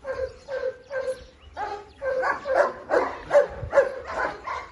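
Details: German Shepherds barking: about ten sharp, mid-pitched barks in quick, fairly even succession, roughly two per second, growing louder and rougher toward the end.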